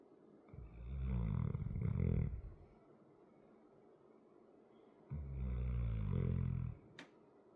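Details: A big 100 lb dog asleep, snoring in two long, low grinding breaths about four seconds apart, with a faint click near the end.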